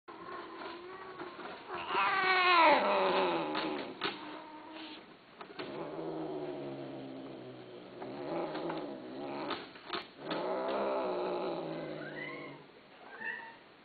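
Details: Domestic cat offered for sale, giving long, wavering, drawn-out meows. The loudest call swells and bends in pitch, followed by further moaning calls and a few short, higher rising mews near the end.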